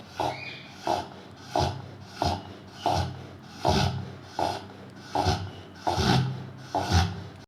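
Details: A Rottweiler snoring loudly, each rasping, sawing breath coming about every 0.7 seconds in a steady rhythm, deep and throaty with a noisy upper edge.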